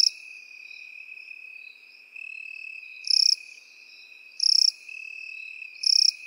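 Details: Crickets in field grass: short, loud, high buzzy chirps roughly every 1.3 seconds, three full bursts plus one at the start, over a continuous lower, steady insect hum that dips briefly midway.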